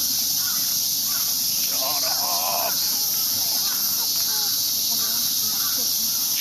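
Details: Cicadas out for the season in Ueno Park, Tokyo, heard from a park path: a dense, continuous high hissing drone without a break, with a man's voice talking over it.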